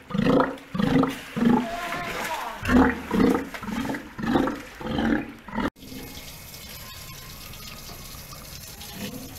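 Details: At an Ise aquarium after a Steller sea lion pup's birth on 25 June 2020: a run of rough, gurgling roars repeated roughly every half second for about six seconds, then a sudden cut to steady low background noise.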